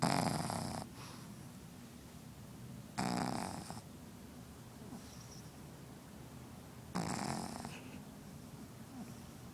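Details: Pugzu puppy (Pug crossed with Shih Tzu) asleep, letting out three hoarse, wheezy snores roughly every three to four seconds, each about a second long with a snuffly tail, between quiet breathing.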